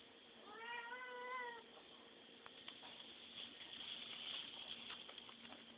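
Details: Cat begging for food at home: a long, steady, drawn-out meow lasting about a second, then clattering, ticking and rustling household noises for the rest of the recording.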